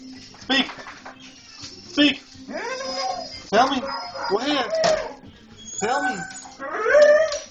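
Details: Pet German Shorthaired Pointers reacting to a stray cat seen outside, giving repeated high whines and yelping barks in short bursts, rising and falling, with brief pauses between outbursts.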